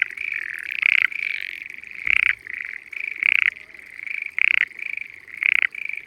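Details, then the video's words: Loud frog chorus from hidden frogs in spring rice fields in the Japanese countryside; bursts of rattling croaks about once a second over a continuous buzzing trill, with one faint low thump. "Spring Frogs Singing in Peaceful Rice Fields"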